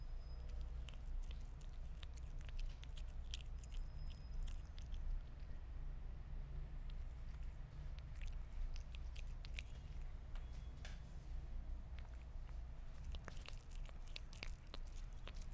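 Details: Meat being eaten by a Sphynx cat: repeated crisp biting and chewing clicks, denser near the start and end, over a constant low-pitched room hum.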